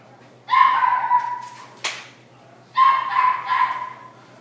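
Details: Mixed-breed dog in a pet shop in Nagano, Japan, giving two drawn-out, high whining yelps about a second each, separated by a sharp click, in an otherwise quiet room.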